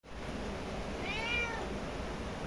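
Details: Domestic cat, being offered white rice by its owner after staying out all night, gives a single short rising-then-falling meow over a steady background hiss.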